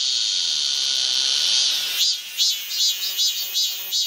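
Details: Midsummer cicadas at Galsan, Gocheok-dong, Seoul: a continuous piercing high drone with a faint steady tone underneath, breaking halfway into separate rhythmic buzzy pulses about two or three per second.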